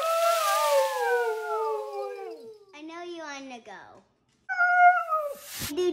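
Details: Siberian Husky female stuck inside under shelter-in-place, chatting with her boy about going to the park: a long yowl sliding steadily downward, a choppy warbling burst, a brief pause, then a higher, shorter whine.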